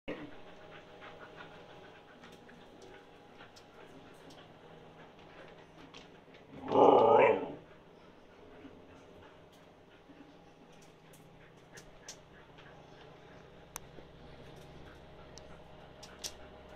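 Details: Siberian Husky Yula begging for food that is cooling, indoors: one short, loud, harmonic vocal burst of about a second mid-clip, otherwise quiet room tone.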